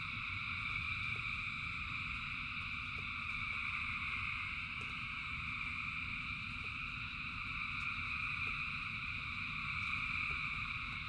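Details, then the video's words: A dense frog chorus during rain: continuous shrill trilling layered at several pitches without pause, over a constant low wash of falling rain and occasional soft clicks. "Frogs in Rain 2 Hours of Frogs, Thousands of Frogs Singing"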